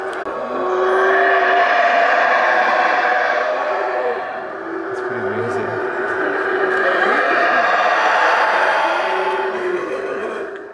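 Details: At the Mayan ruins of Xunantunich in Belize, a group of howler monkeys roars in long, rolling waves of harsh, throaty howling that rise, dip briefly around four seconds, then build again before tailing off; audio not enhanced.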